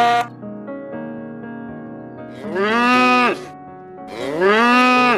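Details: Cow mooing twice: two long, loud, rich moos, each rising then falling in pitch and lasting about a second, following a soft electric piano melody that plays beneath them.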